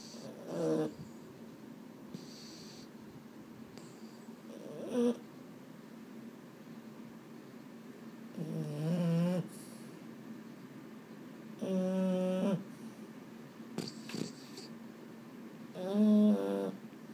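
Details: Boston Terrier at bedtime, unable to sleep, gives three drawn-out, nasal, harmonic moans of about a second each, spaced several seconds apart, with soft snuffly breathing between them indoors.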